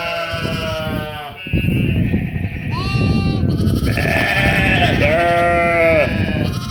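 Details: Sheep and lambs bleat in overlapping, wavering cries, some deep and some higher-pitched, over a rumbling background.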